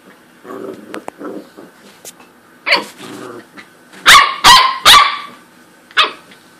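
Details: Corgi barking at another animal in a playful scuffle: soft grumbles at first, then a quick series of three loud, sharp barks about half a second apart, followed by one more bark a second later.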